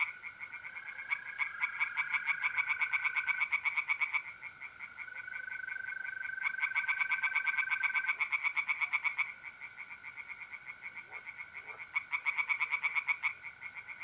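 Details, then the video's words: Night chorus of tree frogs at a pond in north-eastern Italy, mid-April: bursts of rapid, rattling pulses lasting a few seconds each, separated by pauses, while mole crickets keep up a continuous even trill. "relaxing singing tree frogs in pond and trilling mole crickets by night"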